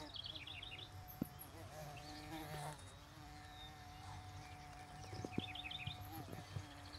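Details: A female carpenter bee drills into a nest box pole, giving a steady, droning buzz with a few sharp taps, while a male watches nearby.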